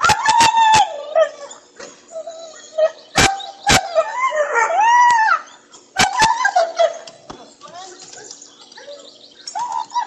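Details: Pregnant female German Shepherd asking to go swimming: sharp yelps, then long wavering whines and moaning howls that rise and fall, with a person talking over them.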